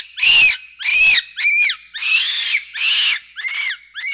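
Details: Capuchin monkey squealing loudly in a run of shrill, arched cries, each about half a second long with brief gaps, some rough and strained, others cleaner and falling at the end.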